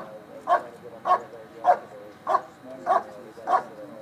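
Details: Dog barking during a bark and hold at the 2013 Schutzhund USA Nationals IPO event: six loud, even barks about every 0.6 seconds, with faint crowd murmur behind.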